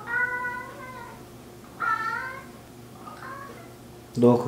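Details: Chatty four-year-old mixed-breed male cat answering its owner at home with three short meows about a second apart, the first longest, ending with a brief thump or rustle.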